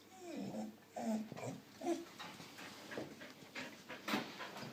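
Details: A four-year-old female Australian Shepherd makes a run of odd whines, grumbles and yodel-like noises while being playful and silly.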